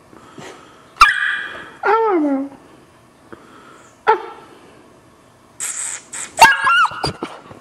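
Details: Black Labrador Retriever puppy, twelve weeks old, gives soft barks when told to speak quietly: a sharp yip, then a falling whine-like bark, a pause, another short bark, and a final cluster of squeaky yelps.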